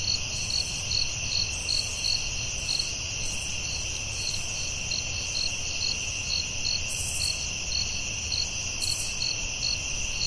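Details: Chorus of crickets at night in the forest, a continuous high trill punctuated by rapid regular chirps, with faint low background noise throughout.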